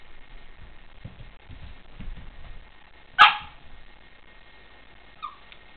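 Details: A new Boston Terrier, indoors, reacting to its own reflection in a mirror: soft shuffling, then one sharp, loud bark at about three seconds and a short, faint, high yip near the end.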